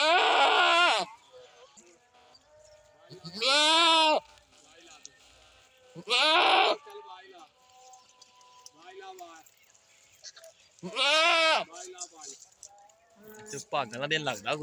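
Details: Goat bleating in loud, wavering, nasal cries of about one second each, four main calls spaced irregularly with softer bleats between and a quick run of shorter calls at the end.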